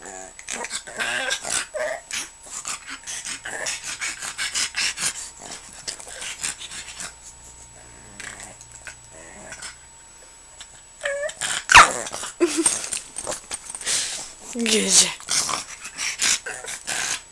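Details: Jack the pug, seemingly wanting to be left alone, grumbles in a string of rough, noisy growling bursts, broken by a couple of brief whiny squeaks late on, with a person's voice mixed in.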